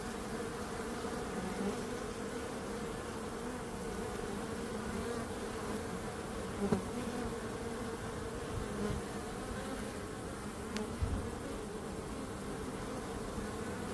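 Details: Continuous low hum of bees, an even, swarm-like buzz with a few faint knocks near the seventh and eleventh seconds and a deep rumble underneath.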